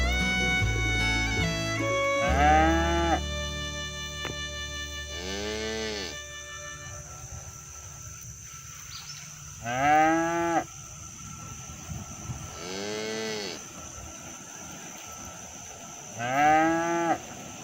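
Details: Village cows herded toward the barn, calling their friends to come home. Music plays at the start, then five separate arching moos sound a few seconds apart over a faint rustling background.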